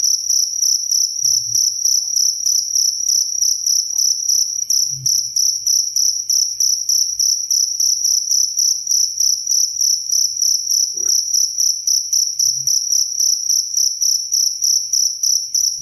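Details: Cricket chirping, crisp and close, used as a model sound for songbirds and relaxation; fast regular high-pitched pulses continue throughout with occasional faint low knocks in the background.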